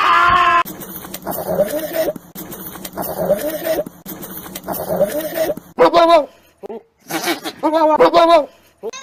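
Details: Goat bleating: a brief high harsh cry, then three low, buzzy, wavering bleats, followed by several short, quavering, higher bleats separated by pauses.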